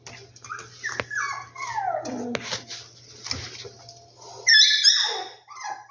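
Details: Rescued dogs: long, high whines sliding downward, mixed with yelps and squeaky cries, ending in a sharper burst of high-pitched yelping, with a low hum in the background.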